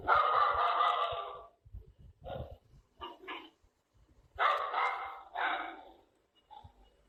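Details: Dog barking in harsh, broadband bursts: a long opening bark, a few short, quieter barks in the middle, then two loud barks close together and a faint final yelp; quiet pauses between.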